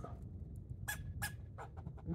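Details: Rocky, a squirrel, barking while jumping from tree to tree: three sharp, short broadband chucks about a third of a second apart, with fainter clicks after them, over a low rumbling background.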